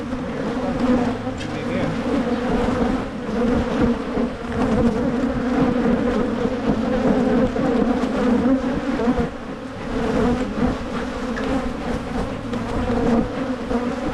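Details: Many honey bees humming loudly around opened hives as splits are made in Michigan. The unbroken low drone pulses gently in volume, dipping briefly near nine seconds, with scattered taps of equipment.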